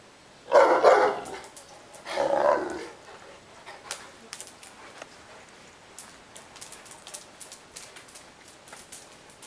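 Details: Neapolitan Mastiff named Ovelix complaining and wanting to play, letting out two loud, deep, rough barks about a second and a half apart, followed by quiet faint clicks and rustling.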